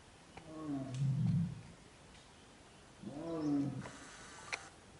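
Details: A Bengal tigress in Corbett National Park gives two deep, moaning calls a few seconds apart, summoning her cubs while looking around as if expecting someone.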